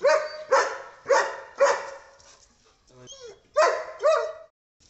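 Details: German Shepherd dog in a desi village setting, barking in loud, harsh bursts, about two per second, six barks with a short pause in the middle, with a faint voice in the background.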